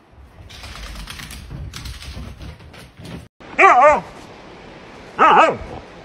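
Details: Dog named Kaiser in a funny pet compilation: two loud, wavering, harmonic yelps, the first more drawn out, a second and a half apart, following a stretch of murmuring background noise.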